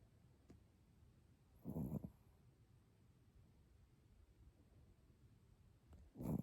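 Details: Fuku-chan, a Chihuahua, snoring while comfortably asleep indoors. Two soft, breathy rasping snores sound about four and a half seconds apart, with quiet room hush between them.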